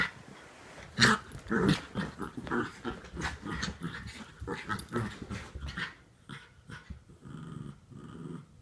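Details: Norfolk Terriers play-wrestling to keep another dog under control; rough, rumbling growls and snorts come in quick uneven bursts for about six seconds, then fade to softer low grumbling.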